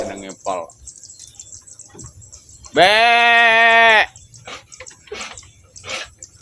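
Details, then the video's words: Etawa goat kept as a pet gives one loud, sustained bleat lasting about a second, steady and richly harmonic, with faint clicks and soft background chatter before and after. "Kambing Etawa Super,Suara Kambing Lucu"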